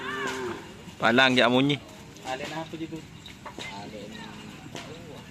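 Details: Madura cattle at Karapan Sapi bull race training on the Asemanis field, Pamekasan, on a wet day; one loud, strained harmonic moo lasting under a second, set among men's voices and faint background chatter.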